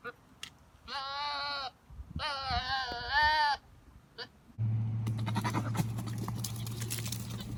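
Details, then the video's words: A male Nigerian Dwarf goat on a ranch, trying to control his herd, gives two loud, wavering, human-like screams, each about a second long, then a stretch of low rumbling noise follows. "My Goats Screaming As If Human"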